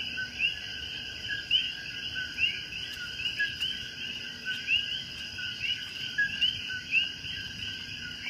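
Common coquis give sharp, rising chirps over a steady high-pitched chorus of night frogs and insects.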